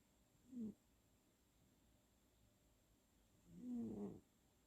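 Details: Abby the tabby, an elderly house cat, snoring loudly in her sleep, filmed up close on 10/8/2020; two low, throaty snores about three seconds apart, the second longer and fuller, with near silence between.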